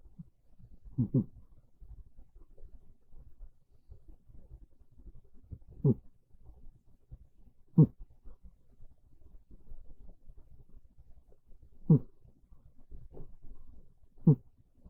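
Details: Sleeping house cat Monta on a bed, cold rainy afternoon; modest snores, short low grunting puffs recurring every two to four seconds over faint steady breathing in a silent indoor room.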